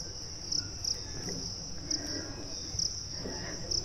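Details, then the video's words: Crickets at dawn, around 6:30 am, at the start of the Parasnath hill trek in Jharkhand, India: a steady, unbroken high-pitched ringing trill runs throughout, with faint rustling and low background murmur beneath. "পাচ্ছেন ঝিঝি পোকার আওয়াজ।"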